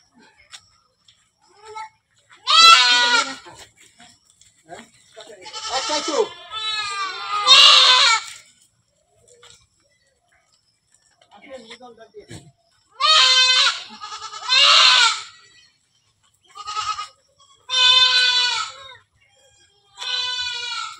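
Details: Goats on a farm of more than 100 animals bleat in loud, quavering, harmonic-rich bursts of about a second, coming in clusters with short silent gaps between them.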